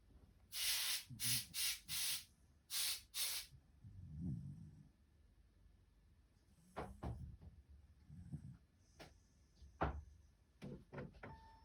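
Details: A still-sleepy white Shiba Inu snoring indoors: a quick run of five breathy, hissing snorts, then scattered softer low snuffles and faint clicks in a quiet room.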